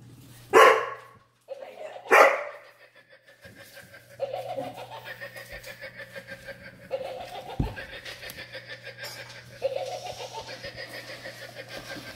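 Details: A Dobermann barking at Halloween: two loud sharp barks early on, then a long stretch of rapid repeated rattling noise with a steady low hum and occasional laughter from people.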